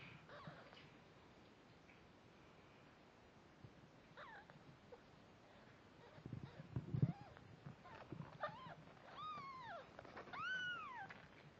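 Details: Snowshoe Siamese mother cat with her one-week-old kittens, which are constantly wiggling, stretching and rolling; faint handling noises at first, then several thin rising-and-falling kitten mews near the end, the last ones clearest.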